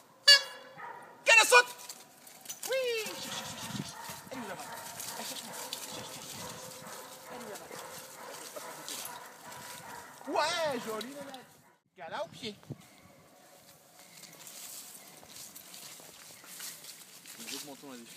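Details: One-year-old female Belgian Malinois working dog, trained on a ring 1 programme, giving short, sharp barks and whining yelps in scattered bursts, with a man speaking French between them.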